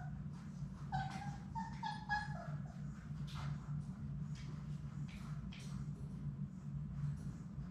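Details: Labrador Retriever puppies, six in Sadie's litter, at play in their puppy play room: a few thin, wavering whimpers come in short bursts early on, over a steady low hum and soft scuffling.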